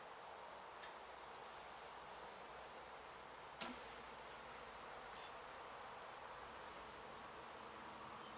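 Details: Honey bees from a hive in an abandoned house under demolition in Mission, Texas, struck by construction crews and now being removed, as old brood comb is cut out. A steady, dense low hum of many bees, with one sharp knock midway.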